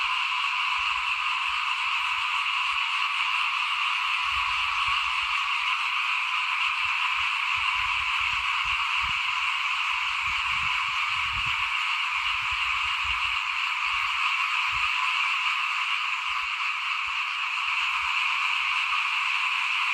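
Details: A frog chorus in front of a house as rice is sown for planting, 2021. Continuous shrill buzzing from many callers, over intermittent low rumbles and thumps.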